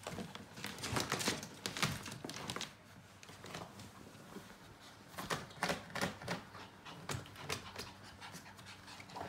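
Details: Yorkshire Terrier in heat panting in rapid, breathy bursts, quick rough huffs in two clusters separated by a quieter stretch, over a steady background hiss.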